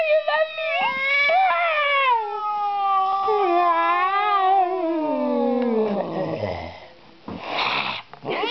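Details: Female calico house cat, angry around strangers, utters one long wavering yowl of about six seconds that slowly slides down into a low growl, followed by rustling and a short burst of noise.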